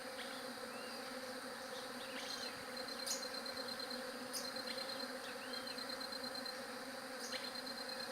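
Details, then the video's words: Steady humming buzz of bees, low and dense, joined by bursts of a high pulsed trill, a few short upward-sweeping chirps and scattered sharp clicks. "SOM DE ABELHA"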